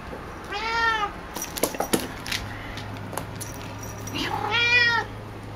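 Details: Picchi, a female cat, calling eagerly at a ball of her own brushed hair; two rising-then-falling meows about three seconds apart, with thumping paw and play noises between them.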